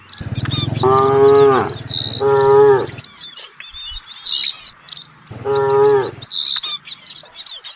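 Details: Three full, droning moos, two close together and one after a pause, come from a herd of village cattle out looking for fresh grass. Busy high bird chirps and whistles fill the background.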